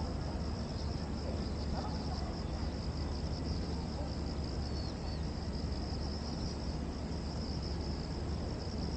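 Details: Cicadas calling at Gwanggyo Lake Park, Korea, on 8 September 2021, recorded with a VR360 camera: a continuous high, shimmering buzz with slight pulsing, holding steady throughout over a heavy low rumble of background noise.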